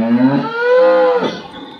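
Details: Domestic cow calling because her calf is kept from suckling during weaning, Bangladesh: a single loud, drawn-out moo, starting low and rising to a steady, sustained tone before breaking off after about a second.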